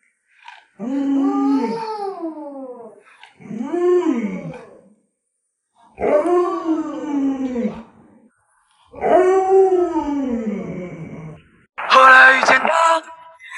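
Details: Pet Alaskan Malamute Lolo howls five times in a row, about two seconds apart. Each howl is an arching, rising-then-falling tone rich in harmonics. The sequence ends with a short, harsher, noisy burst.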